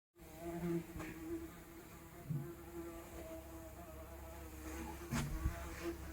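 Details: A fly recorded as real analog sound without post-processing, giving a steady low droning buzz with layered harmonic overtones that waver slightly in pitch, broken by a few soft clicks and knocks.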